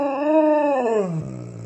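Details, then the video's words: Alaskan Malamute indoors, politely using its indoor voice while asking for breakfast: one drawn-out, wavering, harmonic-rich howl-like moan that rises slightly, then slides downward over under two seconds, ending in a low hum. "Polite Alaskan Malamute uses indoor voice"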